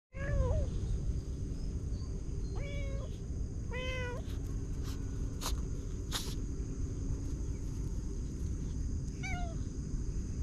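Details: Kitten in a garden in the morning, giving four short meows: the first three close together early on, the last near the end, each a brief arched or falling whine over a steady low background rumble.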